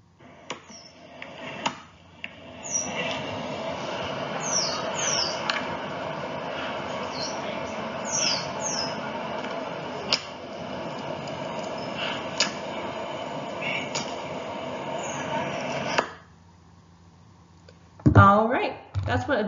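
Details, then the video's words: A dolphin gives quick, high whistles that sweep up and down over a hissing underwater background. "If you're not quite sure what a dolphin whistle is, I'll play a sound for you and this is what it sounds like."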